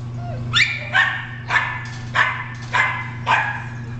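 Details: Male spaniel mix, red and white, housed at an animal control shelter, gives six sharp, bright barks spaced about half a second apart, with a steady low hum in the background.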